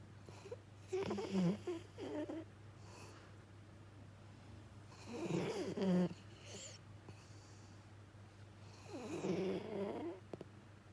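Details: Jiji, a male rescue Labrador-Schnauzer mix, snores in deep sleep: three rattling, grumbling snore bursts roughly every four seconds, each a rough buzzy inhale with snuffling breaths around it, over a faint steady hum.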